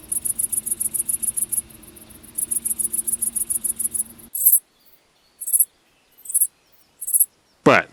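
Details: Nocturnally active cricket at night: very high, rapid pulsed chirping for about four seconds with one brief pause, followed by scattered high clicks and a sharp falling sweep.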